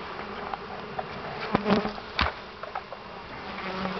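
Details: Three pounds of honey bees being dumped into a new hive: a steady low buzzing hum with a clear pitched drone, broken by a few sharp knocks and thuds from handling the hive.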